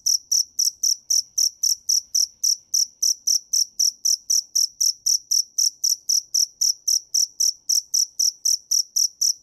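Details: Shrill repeated chirps of a cricket, quick and evenly timed at almost four a second, with faint low background rumble beneath.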